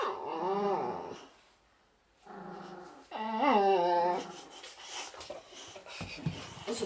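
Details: A small Chihuahua holds off a much larger boxer dog, making it stand back during a home visit. Rising-and-falling whiny dog vocalizations come at the start and again around three seconds, overlapped by people talking in Swedish.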